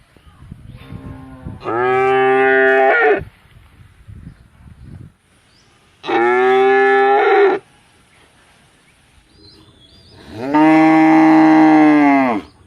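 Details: Cow lowing three times, each moo a steady harmonic bellow of about one and a half seconds, spaced roughly four seconds apart, with quiet rustling background between calls.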